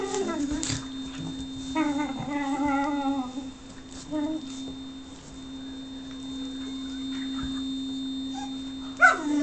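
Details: Whippet named Lux seeking affection and being rebuffed, giving a few drawn-out, quavering whines in the first seconds before falling quiet; a steady mechanical hum runs underneath, with one sharp click near the end.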